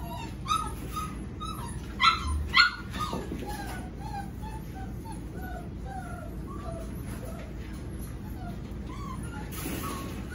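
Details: Seven-week-old Golden Retriever puppies from Pearl's litter give many short, falling whimpers in quick succession, a few louder yelps early on, over a steady low background rumble.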